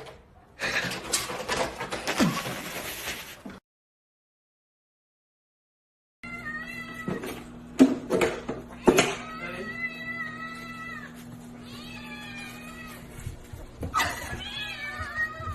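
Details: Cat calling repeatedly: a run of wavering, drawn-out meows and whiny caterwauls, some bending down in pitch. They come after a burst of rattling noise and a stretch of silence, over a low steady hum.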